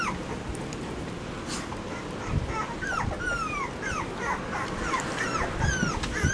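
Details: A litter of Labrador Retriever puppies in a puppy-proofed run, with both parents present, on 10 September 2015. Scattered thin, falling whimpers and short yips come every second or so over a steady rushing background noise.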